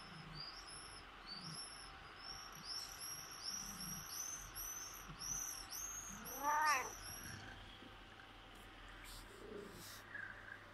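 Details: Persian cat longing for its owner gives a single drawn-out meow that rises and falls, partway through. Small birds chirp high and repeatedly across the first seven seconds over a steady low background hum.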